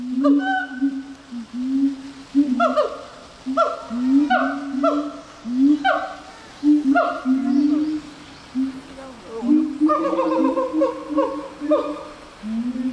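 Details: Gibbon giving a regular run of short, swooping hooted notes, roughly one every second, that quicken and climb in pitch toward the end over a soft background hiss.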